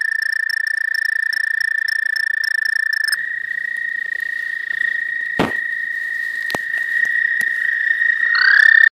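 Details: Frogs calling at a pond at the start of spring, first visitors of the season: a continuous high trill carries through, interrupted by a couple of sharp clicks, with a rising squeaky note at the end.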